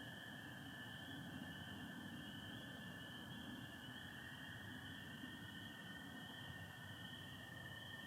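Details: Chorus of spring peepers on a spring night in Michigan, mixed with American toads, starry sky with some overcast. A constant shrill, high tone comes from many peepers together over a lower sustained toad trill and a soft rumble.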